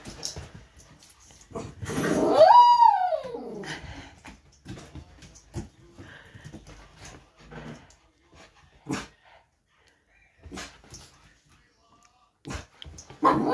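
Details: Wheaten terrier mix puppy howling while teased by family members indoors; one drawn-out howl rises and then falls, followed by scattered short yips and clicks.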